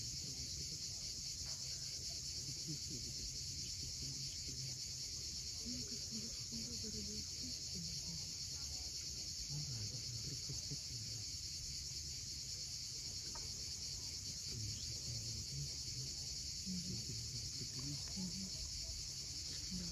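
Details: Cicadas at sunset on the steep coast of Cape Fiolent, Crimea, keep up a steady, high, hissing drone without pause, over a low rumble of waves and faint scattered low sounds.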